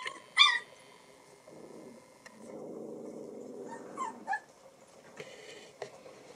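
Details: Young Alaskan Malamute puppies from a 2024 kennel litter, day 24, exploring for the first time; a sharp yelp at the start, a low rumbling stretch, then brief squeaky whines and soft clicks.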